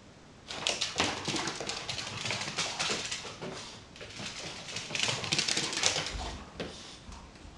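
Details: After his bath, the dog Boo plays wildly with his favourite toy, giving high excited whimpers and snorts amid dense scratching and thumping noises that rise and fall in quick irregular bursts.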